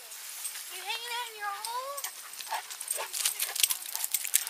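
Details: St. Bernard puppies, brothers, negotiating over a hole with a very large dog at a dog run; a drawn-out, wavering whine rises and falls for about a second, then scratchy digging and scuffling noise takes over.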